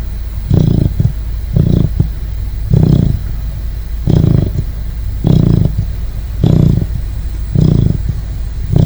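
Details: Snoring Great Dane puppy fast asleep, with steady, evenly spaced low grunting snores, about fifty a minute, each a short rough rumble, and a quiet hum underneath.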